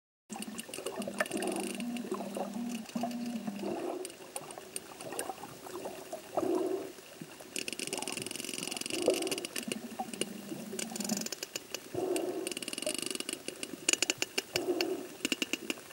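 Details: Sperm whales in a curious pod off Sri Lanka sound out divers with clicks, sharp broadband ticks in loose trains, heard through a dampening underwater camera housing over gurgling water and low bubbly hums.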